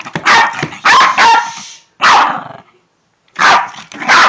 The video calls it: Making a Shih Tzu bark is fun!!!!!!!